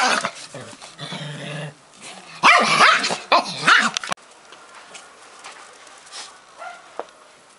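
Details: Pekingese rebuffing a playful Bull Terrier: a steady low growl for over a second, then a loud flurry of rapid snarling barks, followed by quieter scuffling and a single late yip.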